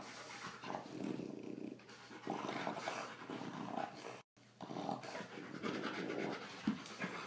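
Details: During rough play between a Rottweiler and a much smaller female French Bulldog, low rasping growls come in drawn-out bursts of one to two seconds, broken by brief gaps and soft panting breaths.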